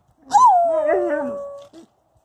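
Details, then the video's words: Female Wolamute dog vocalising before chasing off a German Shepherd Husky: one brief howl rising then sliding down to a steady tone, ending with a short low grunt. "Wolamute perfecting her vocal"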